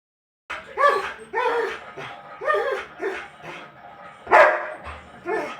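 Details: German Shepherd crying because the mother went out and it wants to be taken out too; drawn-out, arching whine-like cries repeated roughly every second, with one harsher, louder outburst near the end.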